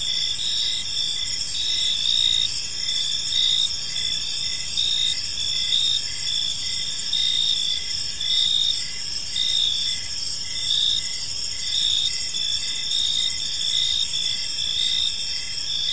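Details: Evening crickets in a peaceful park: layered shrill trills form a constant chorus, punctuated by regular chirp pulses about once a second throughout.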